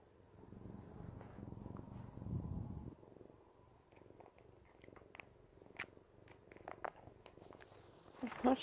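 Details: A Siamese cat kneading ("making biscuits") purrs with a low, steady rumble while a person talks nearby.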